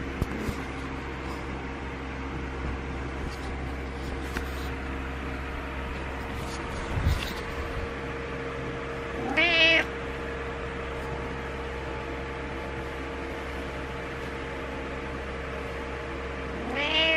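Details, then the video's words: Butters, a pet cat seeking attention, meows twice about eight seconds apart. Both meows are short and harmonic, with an upward-curving start. Between them come faint clicks and a thump over constant low indoor hum. "Meowing Cat Wants Attention"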